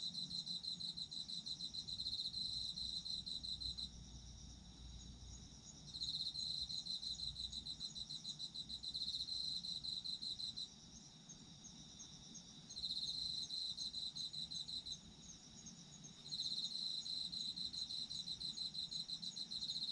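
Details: Autumn insects singing in regular bouts: a loud, high, buzzy pulsed trill runs for about four seconds, pauses roughly two seconds, and returns, four bouts in all, over an unbroken shrill background chorus and faint low rumble.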